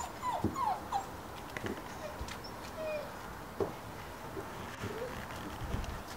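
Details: Labrador Retriever puppies playing with their father, Charm, April 2014; thin high whimpers and squeaky yips, some sliding downward, scattered through the recording over a low background hiss.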